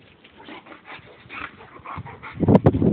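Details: Boxer and Labrador wrestling playfully in mud, a low rough growl-like burst rising near the end over scuffling, splashing noise.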